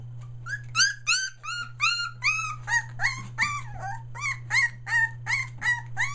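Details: Three-week-old Australian Shepherd puppies near Mooresville, North Carolina, calling as they find their voices: a regular series of bright upward-bent whines, close to three per second, some wavering, against a low continuous hum.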